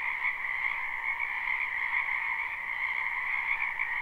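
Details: Many frogs calling in a spring wetland, live unlooped recording: a dense, steady chorus of high, buzzing trills layered into two even bands, with no clear gaps or other sounds.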